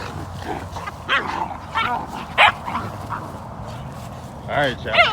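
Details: Puppy playing roughly with another dog, an American Bully and an American Pit Bull Terrier puppy, after flirt pole training: several short high yips and whining cries with wavering pitch, scattered through the clip, with a man talking and laughing over them.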